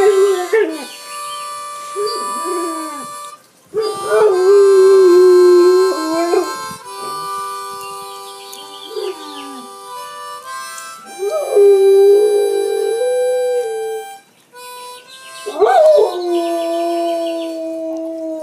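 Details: Pet dog howling along with a man playing harmonica: long sustained wavering howls in several bouts, rising and falling, over steady harmonica chords, with short pauses between phrases.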